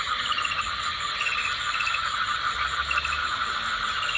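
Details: Common tree frogs laying eggs at Matheran, India: a dense, steady chorus of rattling, pulsed calls in rapid trains, with overlapping callers forming a continuous buzzing wall of sound and no other clear noises.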